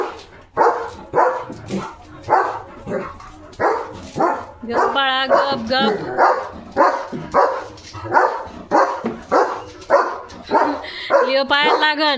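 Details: Leo, a German Shepherd kept as a village guard dog, barks at other dogs passing in front of his house: loud, harsh barks repeated roughly every half second, with a man's voice calling to quiet him.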